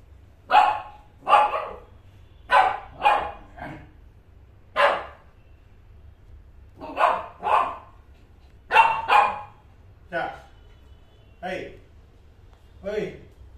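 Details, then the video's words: Shih Tzu barking to ask for play, sharp yappy barks mostly in pairs, spaced a second or two apart with short pauses, the last few softer and more whiny. "Asking to play with him"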